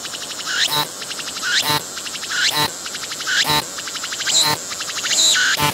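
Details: A cicada sings at close range on a tree, pumping its abdomen, in dense, pulsing buzzy trains cut by short rasping bursts about once a second.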